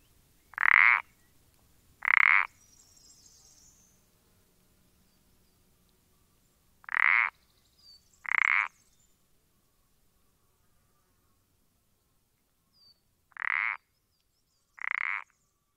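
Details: Common parsley frog (Pelodytes punctatus) recorded on 14-04-20: six short, creaky mid-pitched notes delivered in three well-spaced pairs, each pair a quick double croak about a second and a half apart, against a quiet, still background.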